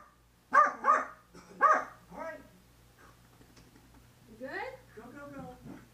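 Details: A female Corgi in her usual post-bath frenzy, indoors while being towelled off, gives a quick run of sharp, high barks, then softer whining yelps.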